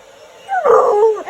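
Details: A female Alaskan Malamute barks at a hairdryer, a short, wavering howl-like bark that rises then slides down; she dislikes the air and seems afraid of it.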